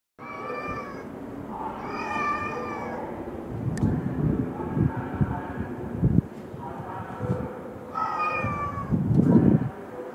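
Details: Feral kittens living in an abandoned house in Korea, recorded 10 March 2016 at mealtime while scared of the neighbourhood boss cat; several drawn-out harmonic meows, some wavering, with low rumbling background noise and clicks.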